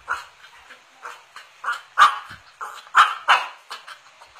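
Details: Cocker spaniel named Chevrolet, eager for a Yakult container, gives soft whimpering yips that build into a few louder short barks, roughly one each second, with faint voices in the background.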